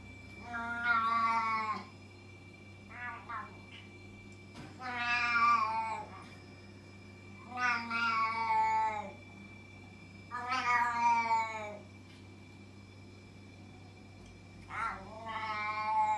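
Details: Loud indoor cat giving long, drawn-out, harmonic meows about every three seconds, some short chirps between, over a steady low hum.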